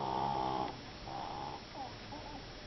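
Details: Mini, a pet Japanese Chin, snoring: a long nasal, whistly breath with stacked tones, followed by two shorter, quieter snorts, in a quiet room.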